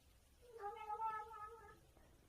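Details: A kitten making a strange sound while eating something tasty: a single drawn-out, wavering, nasal meow of about a second and a half, in a quiet room.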